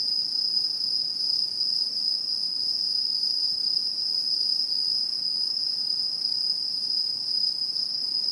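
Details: Chorus of autumn insects in satoyama countryside in Japan, 2016: an even, sustained high-pitched shrilling drone with layered higher tones, unchanged over the whole clip, over faint background hiss.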